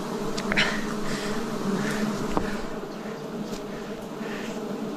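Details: Wild bees buzzing during a 2026 forest honey harvest: a steady, dense hum of layered low tones with a few brief clicks and scrapes of handling on top.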